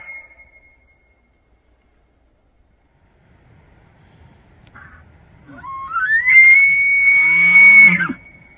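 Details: Rutting bull elk in Banff, Alberta, Canada, in September, bugling to attract cows and warn other bulls; after a quiet pause, a rising whistle climbs to a loud held high note for about two seconds, ending abruptly.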